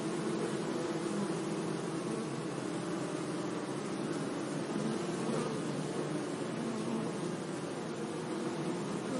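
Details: Buzzing bees working flowers in a sunny meadow: an unbroken, even drone of low humming tones with slight flickers in pitch and a gentle hiss underneath.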